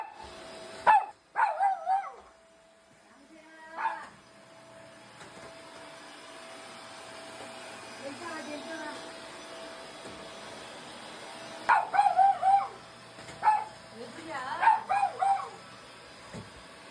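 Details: Poodle that has been fighting the vacuum cleaner for twelve years barks in short bursts, sharp repeated yaps at the start and again near the end, with a running vacuum hum and a woman's voice between.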